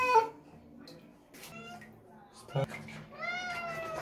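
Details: Pet cat being showered after a typhoon, angry: a brief meow at the start, quiet clatter and a knock, then a second drawn-out complaining meow sliding slightly downward over the final second; low room hum throughout.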